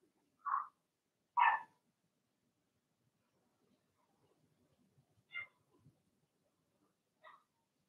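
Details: Cavalier King Charles Spaniel puppies, Blenheim-coloured littermates in a home puppy pen, letting out two sharp barks early, faint shuffling in the quiet middle, then two thinner, higher yelps spaced apart.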